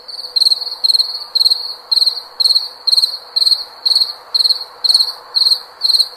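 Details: A singing cricket gives high, bright chirps in an even rhythm of roughly two each second, every chirp made of a few quick pulses, over a soft constant background hiss.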